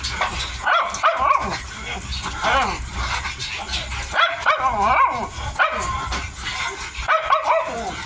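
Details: Miniature Dachshund puppy aged 55 days, feeding, repeatedly voicing wavering, up-and-down whimpers and yips in several bursts across the stretch, mixed with constant crunching and lip-smacking.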